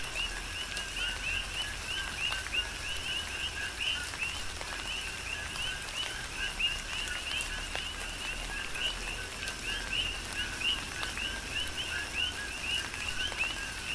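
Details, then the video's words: Many coqui frogs on the Big Island, Hawaii, serenading through tropical rain. High, quick rising whistles overlap continuously in a rhythmic mass, with soft rain patter and sharp droplet clicks. "Tropical Rain & Coqui"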